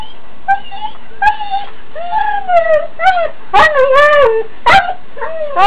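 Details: Huskies in the morning, vocal about needing to go out; one named Holly gives a rapid run of yodelling, wavering howls and yips, with sharp clicks and a woman's voice nearby.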